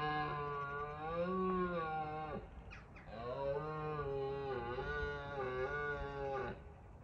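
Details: Red deer stags roaring in Bushy Park in rutting season, a first line of defence against rivals; two long, deep, harmonically rich bellows, the first about two seconds, a brief pause, then a longer wavering roar.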